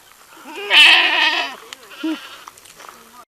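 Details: A young goat gives one loud, wavering bleat lasting under a second. Fainter bleats and a short nasal note follow.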